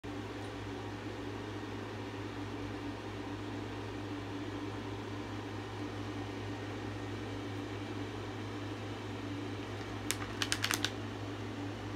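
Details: Indoors, a quiet steady appliance hum fills the room, and a quick cluster of sharp clicks comes near the end. No animal voice is heard.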